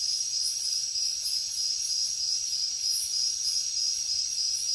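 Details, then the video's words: A short burst of night jungle cricket song: a piercing, steady trill with quick pulses, backed by a wavering chorus of higher-pitched insects. "Cricket sounds |Jungle night"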